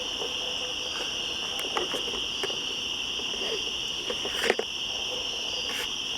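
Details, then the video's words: Cicadas in a woodland at the top of switchbacks, 1 September 2014, holding a loud, steady high-pitched buzz; frequent crackling footstep-like clicks and rustles cut across, the loudest just past the midpoint. "Cicadas Yammering At Each Other In The Woods"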